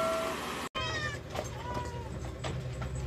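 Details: Rescued cats at lunchtime feeding give two drawn-out meows, each with an arched, slightly falling pitch, over a steady low hum and soft background music.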